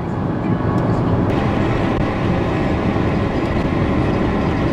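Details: No animal sound is heard, only a steady road rumble of a long car journey across Turkey, with faint voices in the background.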